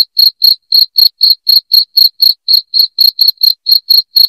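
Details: Cricket chirping at high volume, offered as a rat repellent: clear, shrill pulses follow one another roughly four per second in a steady, metallic rhythm against total silence.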